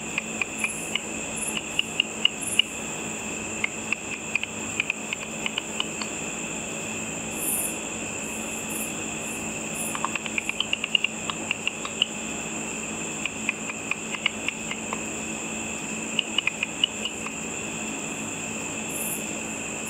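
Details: Bats feeding on insects above a pool lit at night, their high-frequency calls made audible by a frequency divider bat detector: frequent crisp clicks, sometimes speeding into dense rattling runs, against a continuous high whine.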